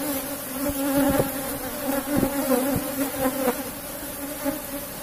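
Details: Harvest of honey from a box hive of Apis cerana: a steady, even, droning buzz of the colony with a few sharp taps in the first half, fading slightly toward the end.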